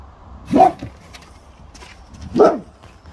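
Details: Boxer dog on guard, giving two short, deep single barks about two seconds apart, each a sharp burst with a quiet room between them.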